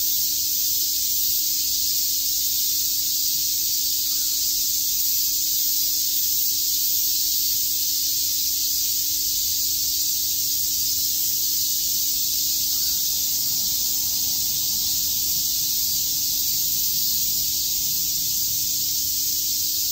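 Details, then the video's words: On a summer day in Shakujii Park, Tokyo, a cicada chorus keeps up a steady, shimmering high-pitched hiss without breaks, with a faint continuous low hum under it. "Cicada chirps"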